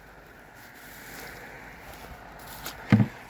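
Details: A low outdoor rumble of handling noise ends in a brief dull knock, with no animal calls.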